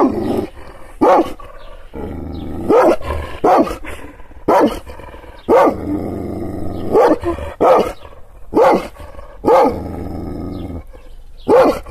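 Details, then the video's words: Kangal shepherd dog barking angrily while being provoked with hand movements: sharp, gruff barks, alone or in pairs, broken by rumbling growls. "Yırtıcı kangal köpeği anadolu aslanı çoban köpeği kızgın köpek havlamasi urmesi sesleri"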